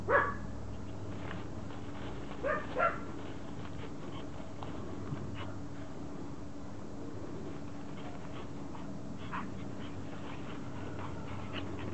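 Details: Regalo, a Pomeranian known as Loo, begs for her toy to be thrown, giving a sharp yip at the start, then a quick pair of whiny yelps, followed by quiet stretches with faint indoor hum.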